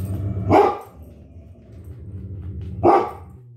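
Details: Pet dogs, a Great Dane and a Poodle, barking at something outside the house; two sharp, harsh barks roughly two seconds apart, separated by a quiet stretch with a low background hum.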